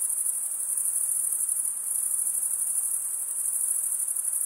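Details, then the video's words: Short stretch of crickets chirping, males rubbing their wings together over a toothed stridulatory vein; a bright, high, constant trill with slight flickering pulses fills the whole moment. "Most relaxing cricket sound"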